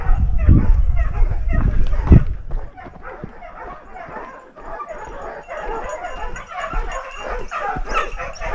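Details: Dogs stand a large wild boar at bay in Ribagorza, Huesca. Two heavy low bangs open the passage, then the dogs bark rapidly and insistently, several voices overlapping at about three barks a second.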